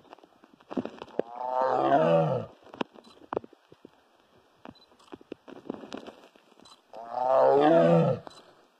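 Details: Big cat giving loud roars: two deep, harsh, drawn-out roars, each about a second and a half, separated by a long gap filled with clicks, knocks and scattered background noise.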